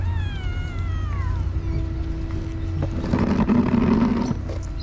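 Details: A hungry stray cat in a village, fed a day late, gives one drawn-out meow that slides steadily downward in pitch, followed by rustling and clattering amid a constant low hum.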